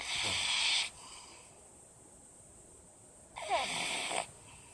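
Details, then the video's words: Pug snoring, two long breathy, hissing snores about three seconds apart, each lasting close to a second, with quiet steady breathing noise between them. "パグ いびき"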